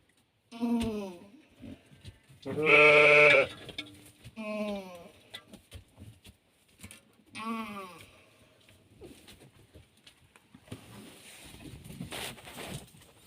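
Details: Hissar sheep during lambing, a ewe giving birth to a lamb: four harmonic bleats spaced a few seconds apart, the second loudest and sustained, the others short and falling, followed by rustling and handling noise.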